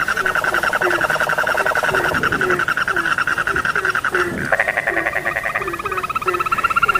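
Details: Many frogs call at once: rattling pulsed trills overlap and shift in pitch, while a lower frog gives short rising croaks in a regular series beneath.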